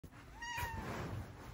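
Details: Female house cat with blue eyes giving a happy meow: one short tonal mew that rises slightly and then fades, heard quietly over a low room hum.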